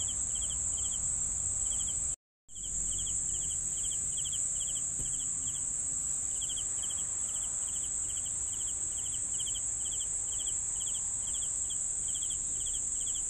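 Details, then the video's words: Crickets chirping in steady short pulsed bursts, each of three or four quick pulses, repeating roughly twice a second over a continuous high-pitched ringing drone, with a brief total dropout near the start. "CRICKETS SOUNDS"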